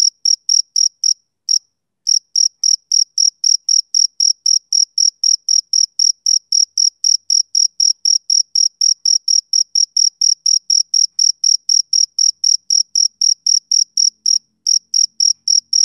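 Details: Male cricket chirping on a summer evening: a high, pure pulse repeated about four times a second in a steady rhythm, with one brief pause early on, then unbroken chirps; nothing else is audible.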